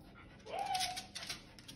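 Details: Bailey, a Lhasa Apso, playing hide and seek indoors: one soft, high whine that rises briefly, then holds level for about half a second, with faint room noise.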